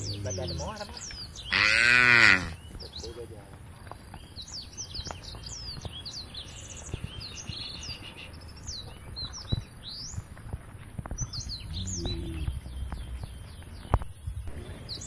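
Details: Cows from a tame herd heading for a field at the edge of a forest give one loud, drawn-out moo lasting under a second, while many birds keep up a steady high twittering and chirping in the background.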